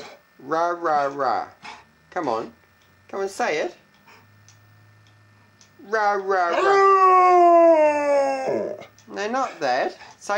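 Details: Indoors, the pet dog Benny gives a string of short, yodelling yelps, then one long, steady, rising howl lasting about three seconds, with his owner repeating "rah, rah" to keep him going.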